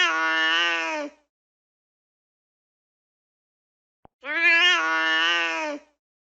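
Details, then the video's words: Domestic cat meowing: two long, harmonic-rich meows about a second each, separated by silence and a faint click; clean, no other sounds. "Funny Cats Sound"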